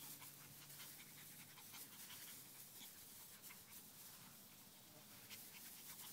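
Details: Two YorkiePoo brothers playing together in a yard on a hot summer day; soft, breathy, hissing pants come in quick, steady bursts throughout, with no other clear sounds.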